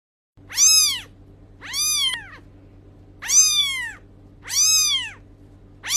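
A kitten gives high, arching meows, each rising then falling, repeated about every second and a half.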